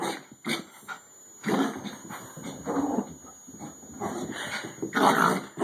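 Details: A 14-year-old Bichon Frise bitch racing her shortened "Bichon racetrack" laps produces a few scattered snorts at first, then longer rough grunting bursts with short gaps between them.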